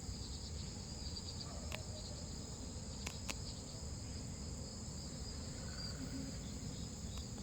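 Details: A large Korean blackish cicada gives a loud, steady, harsh buzzing drone that runs unbroken throughout, noisy rather than pleasant.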